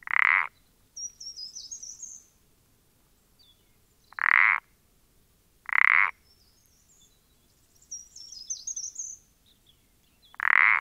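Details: Pelodytes punctatus, the common parsley frog, recorded 14-04-20, giving four brief rasping croaks spaced a couple of seconds apart, while thin high bird twitters fill the gaps between calls.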